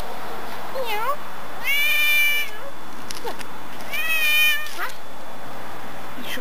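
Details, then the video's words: Domestic cat belonging to a neighbor, male, recorded September 18, 2013, giving two loud, long, wavering meows about two seconds apart while a woman coos and asks it questions in between. "Non-stop meowing"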